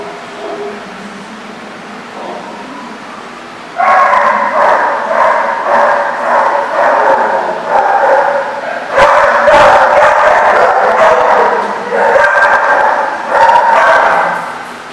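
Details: Dogs barking at a place called The Barking Lot, recorded 8/1/14: after a quieter opening, loud rapid barking bursts in quick succession, roughly two or more per second, continuing almost without pause to the end.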